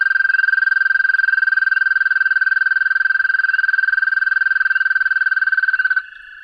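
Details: An American toad in Pennsylvania gives a long, steady, high-pitched musical trill that holds one pitch for several seconds, a call heard in spring and at times through summer.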